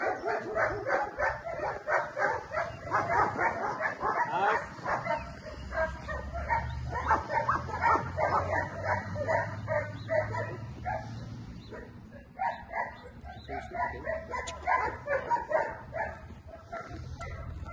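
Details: Mikel v Arkona Park, a male German Shepherd available for a new home in Wonder Lake, Illinois; a continuous run of rapid, high, strained yelps and whines, about three per second, with slight pauses around the midpoint.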